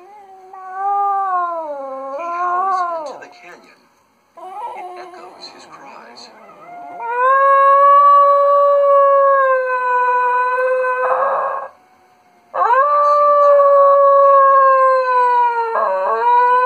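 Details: A pet Schnoodle howls in sympathy with a lost Arctic wolf pup shown in a television nature segment, in long, wavering tones that rise and fall, with the narration and music behind.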